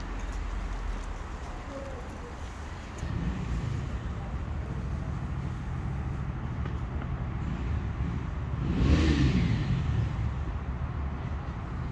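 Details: Street traffic rumble with a car passing and faint voices outdoors; no animal sound is heard.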